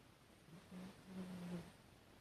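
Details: Chihuahua named Hatch asleep and snoring on 12 September 2018, a quiet low droning breath drawn out over about one second, steady and muffled against faint room hiss.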